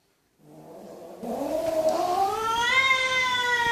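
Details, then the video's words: Kitten giving one long drawn-out meow that starts soft and low, swells and climbs in pitch, then eases slightly downward at the end, growing louder throughout. "Kittens Meowing"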